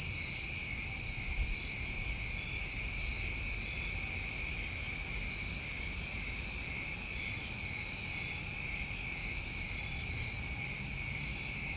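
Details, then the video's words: Continuous shrill chorus of New England summertime crickets after dark, steady layered trilling without pauses, one brief higher chirp near the start, over faint low ambient rumble. "Over 1 Hour Of Tinnitus Masking With Crickets"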